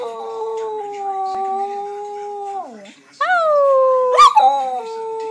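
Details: A pet Shetland Sheepdog howling indoors: long sustained tonal howls holding steady, dipping and fading near three seconds, then a new howl sliding up and easing down, with a brief higher yelp near four seconds.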